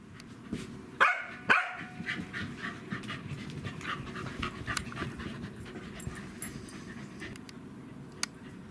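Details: Welsh Corgi dogs Len and Stephan, brothers of Roku, meeting: two sharp barks early on, then a long run of quick, uneven huffing breaths and small clicking sounds against a low indoor hum.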